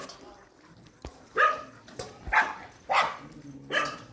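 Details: Dog at a shelter during night feeding, giving four short, sharp barks spaced under a second apart in the second half, each with a bright, harsh ring, over a low steady background hum.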